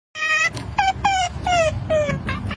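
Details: A pet otter, said to be a little thirsty while water is brought to it, gives six short, high, squeaky calls in quick succession, each sliding downward in pitch, with a soft low rumble beneath.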